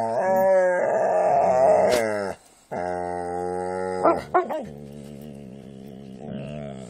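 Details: A Jack Russell and pit bulls playing together. Long, drawn-out voiced growls with a rich, steady tone that wavers in places. A short silent gap near the middle is followed by sharper yelps, then a softer, sustained rumble.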